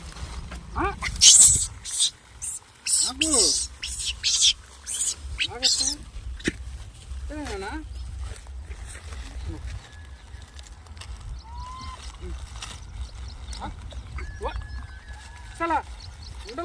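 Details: Male monkey keeping the other monkeys away from biscuits while being fed. Harsh, loud screeches and arching, wavering cries come in bursts over the first six seconds, then quieter calls, with a man speaking throughout.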